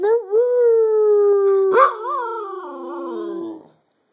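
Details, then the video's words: Jaffa, a pet dog, joins in pack howling with a person: one long sustained howl, steady and slightly wavering, then breaking into a warbling, quavering tail that fades out after about three and a half seconds. "Jaffa and I indulge in some pack howling"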